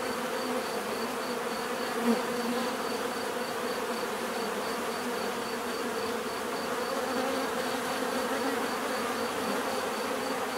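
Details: Continuous buzzing of many bees, a thick unbroken drone with stacked humming tones, level and even throughout, a faint high whine overhead and a tiny tap early on.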